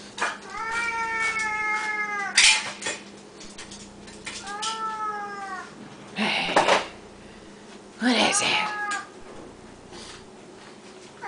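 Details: Siamese cats at feeding time, including a loud one called Samuel, fed three times a day: long harmonic-rich meows around the two-second and five-second marks, shorter yowls later, a clatter of dishes and a woman talking to the cats.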